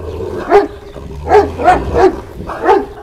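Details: Kangal shepherd dog at a Kangal farm in Şarkışla, Sivas, Turkey, a breed kept with sheep flocks against wolves. Five deep, loud barks spaced about half a second apart, each with a short ringing tone, in quiet surroundings.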